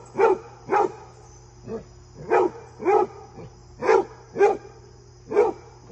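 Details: Repeated deep barking from Fred, a basset hound who is visited by a deer friend: roughly nine hoarse barks at a fairly quick, uneven pace, over a soft steady background whine.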